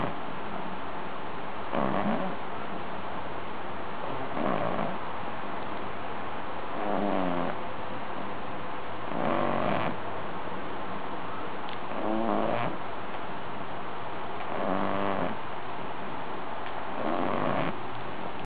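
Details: Two-month-old Ori-Pei puppy asleep in his dog bed, snoring. Rough, raspy breaths with faint tonal overtones come every two and a half seconds or so, steady and even, over a constant low hiss.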